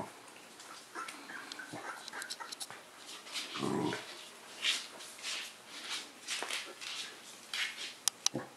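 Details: Corgi puppies indoors give faint, high whimpers and squeaks scattered across the recording, with soft rustling, a few sharp clicks near the end and a brief low thump around four seconds.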